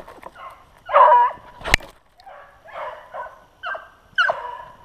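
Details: Close beagle bays during a snowshoe hare hunt on February 25, 2016. Several strong, quavering howl-like notes with a sharp click between them, then shorter yelping bays.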